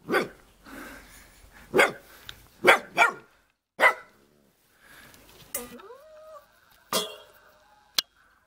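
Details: Black-and-tan mother dog with her two puppies in Jeonju, North Jeolla Province, Korea: about six sharp, loud barks in the first four seconds, then quieter rustling, a man's voice and a thin whining tone.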